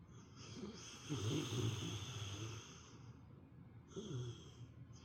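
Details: Pet dog, a female called princess by her owner, napping and snoring like an old man: low rumbling snores rising and fading in two bursts, near one and four seconds, with quiet breathing between.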